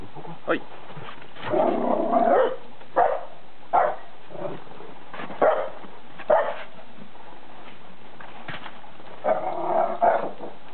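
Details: Two poodles, Bella and Dougal, meet their first snow in York, UK, in February 2012, playing and fighting; short sharp barks and rough growling bursts come in scattered spurts, mixed with a person talking nearby.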